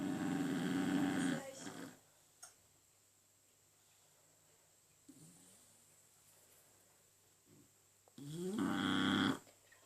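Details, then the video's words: French Bulldog snoring: a rough, buzzy snore, then a long quiet pause with faint small noises, then another loud rasping snore rising in pitch at its start. "Französische Bulldogge am schnarchen"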